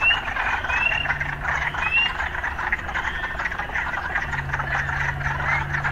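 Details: Urban frogs calling as a dense, steady pulsing chorus, with short rising whistled notes above and a low steady engine-like hum in the background.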